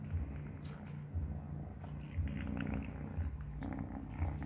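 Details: Purring from a three-month-old kitten as it eats mealworms, a low rumble that swells in pulses about once a second, with light chewing clicks above.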